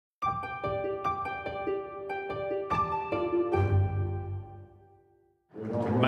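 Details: Plucked harp music with ringing notes fades out, followed by a brief burst of indistinct sound at the end; no animal calls.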